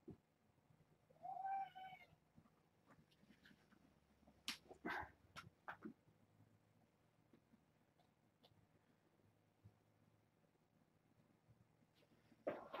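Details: Domestic kittens from a litter of six, four females and two males, born August 29th to a family pet and fostered after Purrfect Pals. A single clear, tonal meow near the start, then soft scuffling, taps and clicks indoors, with a faint squeak at the end.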